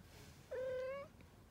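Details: Kitten three weeks old mewing once: a thin, even, half-second cry that lifts slightly at its close, with a soft background hum.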